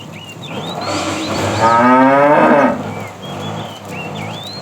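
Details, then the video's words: Tame cow in a herd being driven in the afternoon, said to be a fat cow calling the female; one harmonic, slightly wavering moo of about a second, with chirping birds throughout. "The funny sound of a fat cow calling the female"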